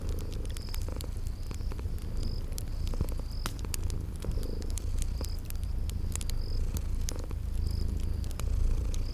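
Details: Cozy scene of sleeping kitties purring near a fireplace in spring: an unbroken low purr rumble fills the recording, dotted with crackling clicks and short high whistled notes repeating at regular intervals.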